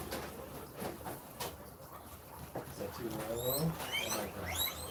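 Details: Guinea pigs at dinner time in a rescue give shrill, rising wheeks in quick succession, calling impatiently as they wait to be fed while the first one gets its food.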